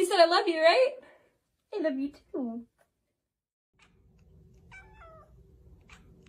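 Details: Talking domestic cat indoors: a long wavering meow with rich harmonics, followed by two shorter meows, then quiet low room hum with a few faint high chirps.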